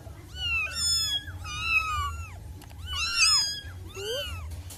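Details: High-pitched mewing from six wild kittens, a few overlapping arched cries at a time, the loudest burst near the end before a brief quieter one, over a steady low hum.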